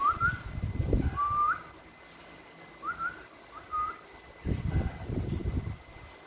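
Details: A pet meerkat gives short, whistled, rising peeps in small bursts, with low thumps and rustling between them.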